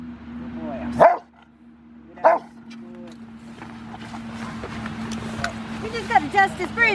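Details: Five-year-old male Rottweiler, River v Schwarzerwald, in bite training ahead of his ZTP trial, January 20, 2020. Two loud, sharp barks about a second apart, followed by a handler talking over a steady low hum.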